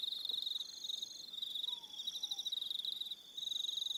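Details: Evening cricket calls from Aroha Island, New Zealand, a continuous high pulsing trill with extra callers joining on slightly higher notes, a short dip in intensity near the end, and a faint low falling whistle.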